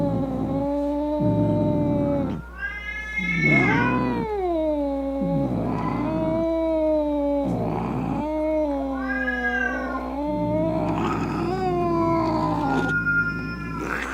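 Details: Cat giving angry, drawn-out meows meant to frighten away rats, opossums and other cats: a string of loud, harmonic yowls, some rising then sagging, others wavering, separated by short breaks, with a constant low hum underneath.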